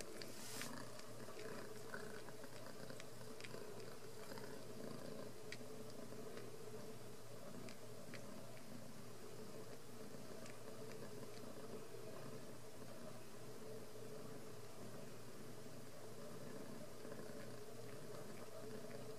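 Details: Ragdoll kittens, born and raised uncaged in a home cattery in central Kansas, purr in a steady low rumble that runs through the whole stretch. Scattered soft clicks and light taps sit above the purring.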